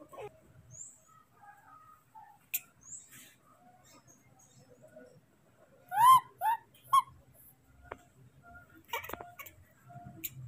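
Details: Young monkey Moni, angry after his father leaves him briefly to gather fruit, utters three arching whistled cries in quick succession after faint scattered peeps, with a low background hum.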